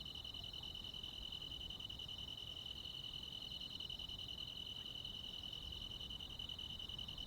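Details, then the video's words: Continuous shrill trilling from crickets and other bugs on a summer night in the countryside, two steady high-pitched tones layered with slight flutter, unbroken for the whole stretch, with faint low noise beneath. "시골 야간 귀뚜라미, 벌레 소리"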